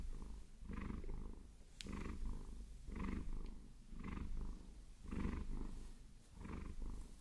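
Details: Domestic Maine Coon Vasilisa purrs under a massage from long nails, a low buzzing rumble rising and falling with each breath, one sharp tap near the start.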